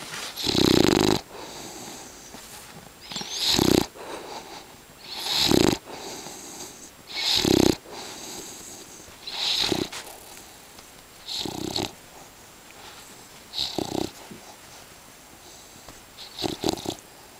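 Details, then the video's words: English bulldog Buddy asleep and snoring, loud raspy snorts recurring roughly every two seconds, the first several strongest and the later ones growing softer and thinner toward the end. "english bulldog snoring"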